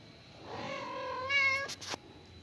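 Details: Mother cat calling her only kitten after killing a huge rat: one drawn-out, steady, tonal meow lasting about a second, strongly harmonic and ending abruptly, followed by a few sharp clicks.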